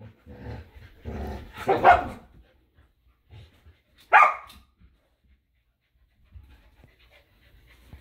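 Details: Samoyed Luma and Keeshond Zuko tussling over a squeaky hedgehog toy in a yard in winter. Low rumbling growls come in a few rough bursts, then one short sharp bark-like yelp, followed by quiet.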